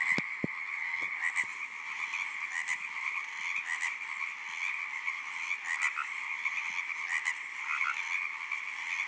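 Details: Tree frog song as a crowded chorus of buzzy, repeated croaks forming a steady high drone, with brief clicks and knocks at the start and a few louder individual calls rising above the mass.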